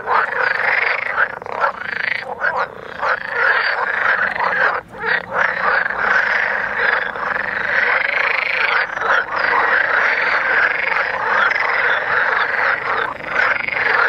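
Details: Frogs in a mating chorus at Vrijbroek park in Mechelen, Belgium, a thick wall of rasping, overlapping croaks that never pauses, with short gaps near five and nine seconds.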